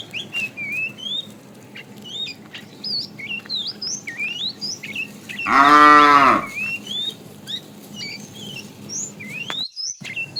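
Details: Tame cow mooing while being herded to green grassy fields in the morning: one loud, drawn-out moo about a second long, arching in pitch, rich and tonal, over a steady backdrop of many small birds chirping and whistling.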